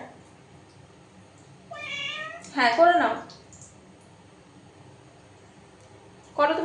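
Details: Domestic cat indoors in a small room while a woman coaxes it to pee: two drawn-out, harmonic meows, the second louder and falling in pitch, with her speech close by and a quiet pause before she speaks again.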